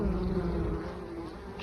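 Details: Honey bees carrying mustard pollen on 9 October, before 11 a.m.: a low, steady hum with faint overtones that eases off after the first second.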